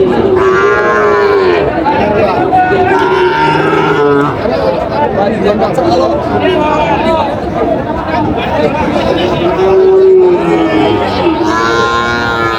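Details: Sahiwal bull calf at a cattle market in Narsingdi, 8 July 2025: several drawn-out lowing moos with rising and falling tones, a long one near the start and another around ten seconds, over steady crowd chatter and bargaining voices.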